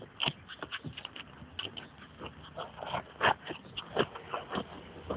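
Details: Lassie, a Scottish Terrier at play with a ball, gives a rapid run of short, rough, broadband growling bursts, with one sharper whining note near the middle, while a person urges her on in the background.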